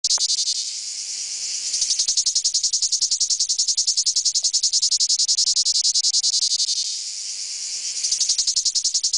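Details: Male cicadas courting in a 'coquettish song': a high, harsh buzz throbbing in steady rapid pulses, about three to four a second, easing into a smoother continuous drone mid-way before the pulsing returns.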